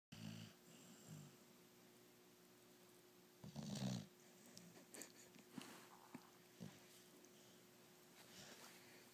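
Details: Layla, a six-month-old yellow Labrador Retriever, snoring while asleep with her eyes open indoors; soft low rasping breaths recur, with one louder snore near the middle, over a steady faint electrical hum.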